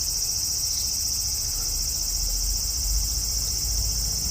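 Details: Loud cicada song from a cherry tree in a front yard, evening of 5 August 2012, hot weather; a constant high, sizzling whine with no pauses, backed by faint low-frequency rumble.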